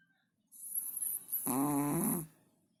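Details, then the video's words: A sleeping Chihuahua gives a single rasping, harmonic snore lasting under a second, with a faint hiss above it, in a quiet indoor room. "Чихуахуа спит и храпит"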